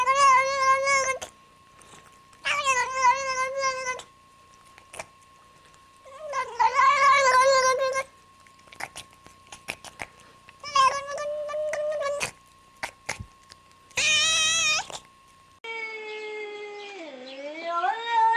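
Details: House cats giving a series of clear, bright meows about a second long, each separated by short pauses, the last one sliding down in pitch; a steady faint tone hums throughout.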